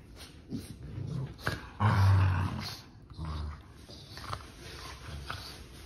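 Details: Sibling puppies playing together indoors, one letting out a deep, rough growl around the middle of the recording, with scuffling, shorter grumbles before and after, and a person talking nearby.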